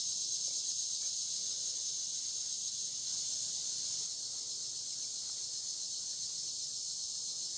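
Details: Steady shrill insect drone of cicadas on the Licking River at Morning View, part of an overnight dusk-to-dawn recording; the hissing buzz stays even and continuous, easing slightly in loudness after the midpoint.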